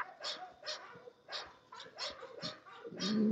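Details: Kennel-raised English Bulldog barking repeatedly, sharp gruff bursts coming roughly twice a second, the final bark swelling into a louder, longer cry with a steady hum underneath.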